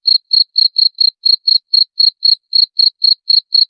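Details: A cricket gives evenly spaced, short, high-pitched chirps, roughly four each second, crisp and clear against complete silence.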